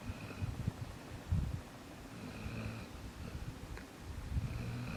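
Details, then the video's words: Jaxson the dog, asleep indoors, snores in low rumbling breaths, each drawn-out snore swelling and fading every second or two, with a faint higher tone riding above the rumble. "Jaxson snoring"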